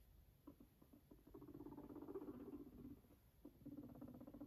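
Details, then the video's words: Fluffy pet guinea pig purring beside its owner indoors: a low, rapid, buzzy pulsed rumble, steady from about one and a half seconds onward, with a short pause before it resumes. "A fluffy guinea pig sweetly purrs next to its owner"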